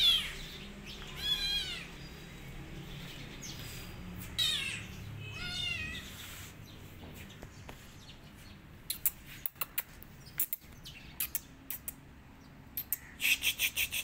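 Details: Kitten, a rescue tabby, running away and hiding in a jacket, gives three high mewing calls early on, each a short arched cry; later the recording fills with clicks, rustling and handling sounds.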